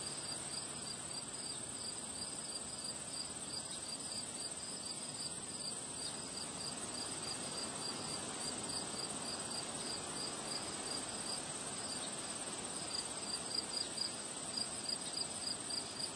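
Crickets chirp steadily in high, pulsing trills over a rushing background of wind.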